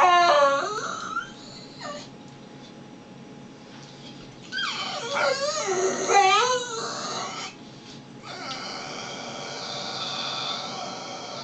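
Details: Pet dog Brutus whines at home while acting like a baby: short wavering, sliding cries at the start, a quiet pause, then a louder run of warbling, falling-and-rising whimpers, ending in a thinner, sustained whine.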